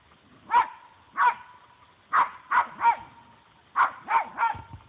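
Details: Puggle barking while confronting a deer that does not flee; seven clipped barks come in groups of two and three, with short quiet gaps between groups.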